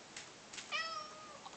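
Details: Pet cat Persik, urged to say "kva", answers with one steady, slightly falling meow of about seven tenths of a second, following two faint clicks indoors.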